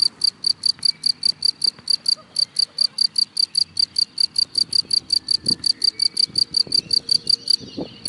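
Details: Cricket hidden in grass, chirping loudly and steadily: a long run of short, bright, high pulses, about four a second, with faint rustling and soft low thuds underneath.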